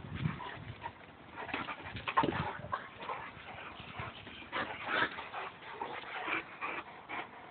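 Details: A Boxer and a Labrador wrestling in mud at play, with scattered whimper-like yips and short harmonic cries over broadband scuffling and splashing bursts that come and go irregularly.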